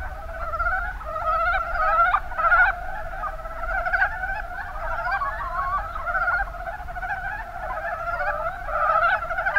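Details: Mountain brown frogs calling in the Kuma Basin, Kumamoto, Japan: a dense chorus of overlapping rapid clucking, chuckling notes in quick bursts of about 100 a minute, with a low background rumble.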